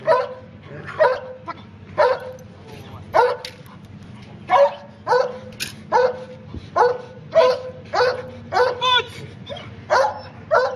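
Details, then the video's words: German Shepherd trained in protection, obedience and narcotics, barking during protection work on a tug boat; sharp barks repeated about every second, over a steady low engine hum. "German Shepherd Protection on Tug Boat"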